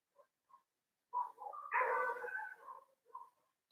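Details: Neighbourhood dogs barking outdoors in Nepal, quiet and distant: two tiny yaps, then a cluster of overlapping barks lasting about two seconds, followed by one more short bark; no other sounds.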